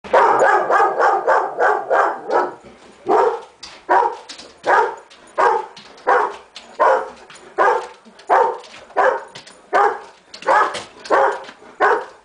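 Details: Irish Setter barking at the mailman: a steady run of loud, harsh barks, about one every half second to second, continuing without pause.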